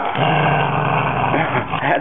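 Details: Maltese Terrier growling while protecting his bone: a steady, low, continuous rumbling growl that runs through the whole stretch, with a person's voice over it scolding the dog.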